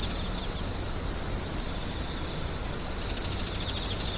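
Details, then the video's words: Grass insects screeching at night: one steady, very high, shrill continuous trill without pause, over a faint low rumble in the background. "The sound of insects crying"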